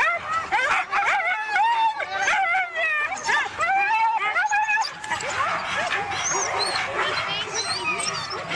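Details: Siberian Huskies at a race in East Anglia yelp and whine excitedly, a tangle of sharp rising and falling cries; human voices and a busy crowd murmur grow louder in the second half.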